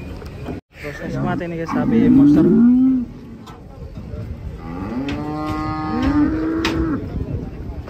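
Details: Cattle being unloaded from a truck in Indonesia. A loud, strained bellow wavers from about one and a half to three seconds, and a long, level, rising moo follows from five to seven seconds.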